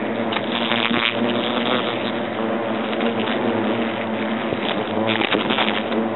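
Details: European hornets from a nest inside an oak trunk at Agen, France, during the nest's destruction: a dense, continuous buzzing hum with steady low tonal bands, broken by bursts of harsh broadband noise.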